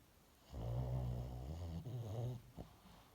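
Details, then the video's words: A sleeping dog lets out one long, deep, gravelly snore of about two seconds, vibrating and rattling, followed by a short snuffling click. "강아지 코골이"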